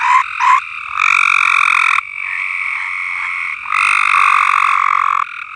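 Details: Many frogs singing together on a farm, two short loud notes at the start, then long buzzing trills rising and dropping in loudness over a constant chorus.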